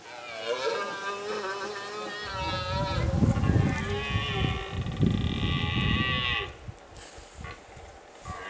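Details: A red deer stag bellows a long, deep, rasping roar with a strong harmonic ring during the late-September rut in the Pyrenees mountains, on summer pastures where cowbells of grazing cows and horses may sound.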